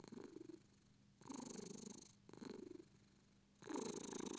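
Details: Short stretch of British Shorthair purring, three rumbling breath phases separated by brief softer gaps, the last one loudest. Still, quiet surroundings.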